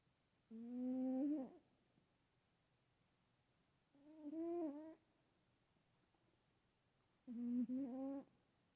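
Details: Chonky domestic cat snoring indoors: three drawn-out, tonal, rising snores, each about a second long, spaced roughly three seconds apart against a quiet room.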